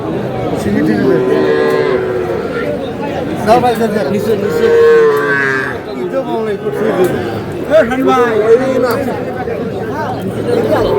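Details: Young bull and heifer calves at a cattle market, bought by a Dhaka farmer on 4 February 2026. Drawn-out, wavering moos rise and fall over the whole stretch, amid constant crowd chatter and bargaining voices.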